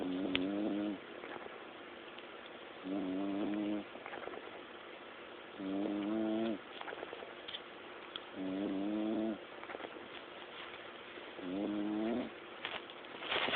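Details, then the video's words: Sleeping bulldog snoring in long nasal, wavering groans with a fluttering buzzy texture, each lasting about a second and recurring roughly every three seconds, with faint room noise between. "Bulldog Sleeping and Snoring"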